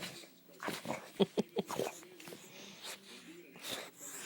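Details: Bulldog indoors freaking out over a ceiling fan: a burst of short, sharp, noisy barks and huffs, three quick ones clustered together mid-clip, then scattered breathy sounds in a small room.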